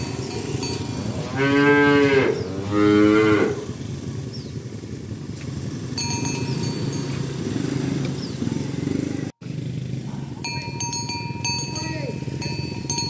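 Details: Morning herding of tame village cows to the pen: two loud moos in quick succession early on, followed by hoof noise and scattered cowbell clinks.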